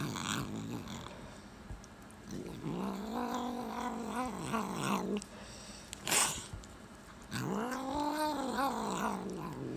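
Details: Abyssinian cat, reportedly fighting a deadly snake to protect the household, letting out rising and falling growling yowls in separate bursts, with short pauses and a sharp noise between them.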